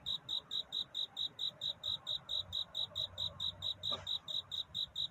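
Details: Cricket at night, its chirping a courtship song rather than crying: crisp high pulses repeated rapidly and evenly, about four a second, with a single soft click near the end.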